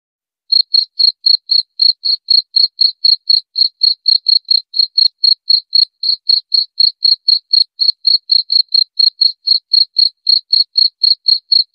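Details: After a brief silent start, a cricket chirps continuously in high, evenly spaced pulses about four per second, in a sound used to scare off rats; no other sounds are present.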